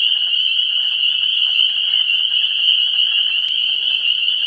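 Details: Frogs calling at a vernal pool in pre-spring, 17 March 2016: a dense, unbroken high-pitched chorus, a steady shrill ringing band of many overlapping voices with no pauses, plus a faint background hiss.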